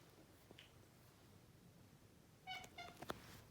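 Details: Male Maine Coon cat, chatty and talkative, chirping at its owners: after a quiet stretch, a quick pair of short, bright, harmonic chirps lands near the end, followed by a faint click.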